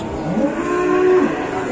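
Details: Fierce cow being pranked at an Indonesian cattle farm gives a single steady, low moo lasting under a second, tonal with stacked harmonics, then quiet.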